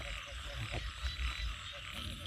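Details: Frogs croak at night after morning rain in rice paddies in Isan, Thailand: short low knocking notes repeated over a steady hiss of rain and insects.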